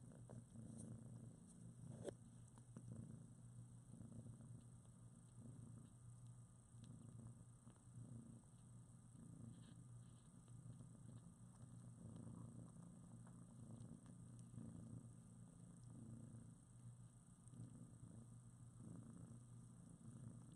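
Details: Newborn domestic kittens, about two weeks old with eyes just opened, cuddling in a writhing heap with their mother Priscilla in foster care; a steady low rumbling purr runs throughout, with soft faint squeaks and rustling fur over it.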